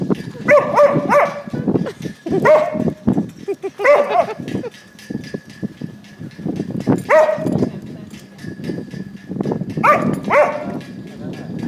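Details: Dog chasing shadows, uttering clusters of short whining yips every couple of seconds amid scratching, skittering sounds and a murmur of speech.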